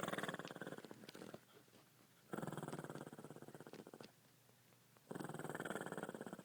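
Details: Sampson, a Shih Tzu kept as a family pet, snores loudly in his sleep: three long, rattling, vibrating breaths, each over a second, separated by brief quieter intakes.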